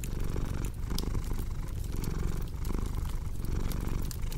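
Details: A domestic cat purring close and deep, a continuous low rumble rising and falling in roughly one-second breath cycles, with bright crackles and snaps from a fireplace scattered on top.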